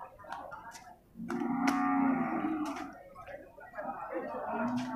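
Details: Young male water buffalo calves at a livestock market in Purwakarta, Indonesia; a drawn-out, nasal, low moaning call lasts about a second, then a shorter moan follows near the end, over faint market background noise.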